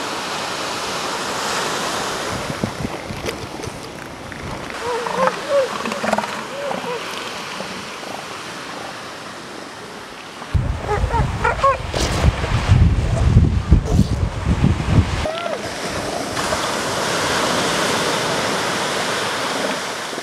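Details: Northern elephant seal on the Pacific coast: a deep, rough, pulsing roar swells for about five seconds mid-recording, framed by steady crashing surf and wind, with a few faint higher voiced calls early on.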